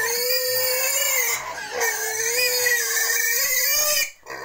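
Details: Pig at a wild and domestic pig breeding farm in Cambodia, a sustained high-pitched harmonic squeal wavering up and down for about four seconds, then abruptly cut off.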